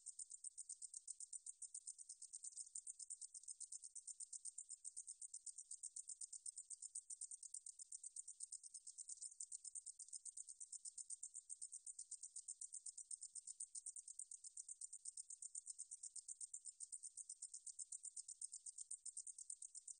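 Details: Meadow katydid song from the National Institute of Biological Resources, Korea, 2020: a steady, high, hissing buzz broken into rapid, even pulses, about eight per second, running unbroken for twenty seconds over a quiet background.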